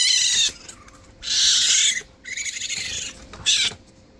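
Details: Two baby raccoons cared for by a licensed wildlife rehabilitator, crying for a bottle while being cleaned; three loud bursts of high, harmonic chittering, each about half a second to a second long, separated by quieter gaps.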